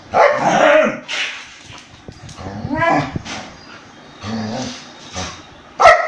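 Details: An Indian breed dog attacking a German Shepherd: tonal, wavering yelps and whining snarls come in several bursts, ending with a sudden sharp bark, over background scuffling and faint voices.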